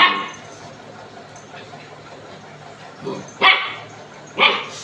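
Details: Picco, a pet dog at home, gives two or three sharp barks near the end after a quiet stretch, with faint room noise.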